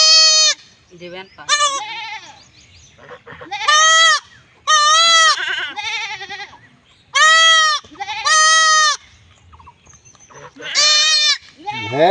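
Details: Kid goat crying out while being castrated in a village in Bangladesh: a series of loud, harmonic, quavering bleats, each about a second long, with men shouting in between.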